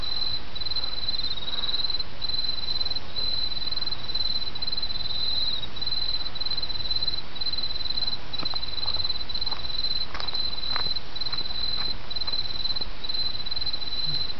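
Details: Autumn insects keep up a shrill, evenly pulsed chirping of short repeated bursts at a steady rhythm, set against a babbling creek with occasional sharp clicks and drips.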